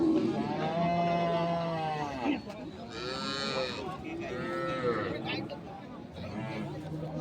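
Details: At Ambari market in Dinajpur, Bangladesh, on 3 February 2025, milk cows and calves give long, arching moos, several in a row, while traders bargain loudly and music plays.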